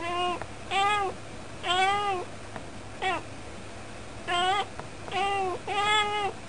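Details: House cat chattering by the window, jokingly saying it's cold; about eight meows of varied length, from brief chirps to long wavering calls, arrive in a conversational rhythm with a faint steady hum behind.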